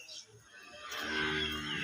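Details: Cow at a cattle farm giving a low, sustained moo in the second half, rich and steady in tone, after a quiet start with faint human voices and background noise.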